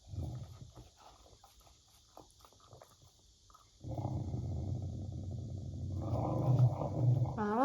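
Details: Beagle named Teo eating ice cream indoors, usually gentle but angered when teased with food; licking clicks give way to a low, continuous rumbling growl for the last four seconds, with a woman's voice over it and a steady cicada buzz behind.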